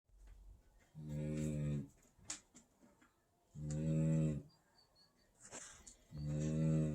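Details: A sleeping Great Dane puppy snores in deep, rumbling drones, about one every two and a half seconds, recorded 22 January 2020.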